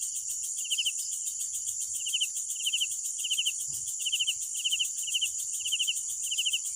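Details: Night cricket chirps in short pulsed trills, about two per second, somewhat quieter, set against a loud steady high-pitched insect drone and faint low background rumble.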